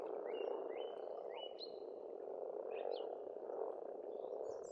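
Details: Steady croaking of many frogs at an Estonian pond in spring, with a bird's clear rising whistles standing out over the low chorus.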